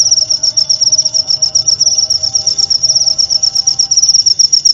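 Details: Clear cricket song used as tutor audio for oriental magpie-robins, played nightly: steady high-pitched chirps in rapid pulsed bursts throughout, strong and unbroken over a faint low hum.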